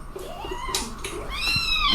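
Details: Domestic cat meowing indoors: a drawn-out, wavering tonal meow with rising and falling pitch, followed by a brighter upward-bending meow near the end, over a low room hum.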